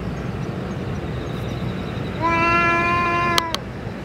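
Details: Single level, sustained meow from a stray boss cat that has taken its food and medicine, rising out of a low rumbling background, with two sharp clicks near its end.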